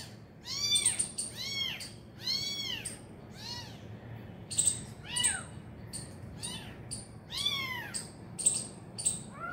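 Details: Abandoned kitten cries while being urged toward its injured mother. Loud, arched meows come in uneven bursts, some doubled or tripled, mixed with sharp high clicking noises between the calls.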